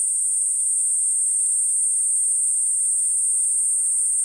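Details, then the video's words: Kuroiwa niinii cicada (Platypleura kuroiwae) singing: one unbroken, very high, shrill buzzing drone that holds a steady pitch and loudness throughout, with no breaks and no other clear sounds. "クロイワニイニイ 鳴き声"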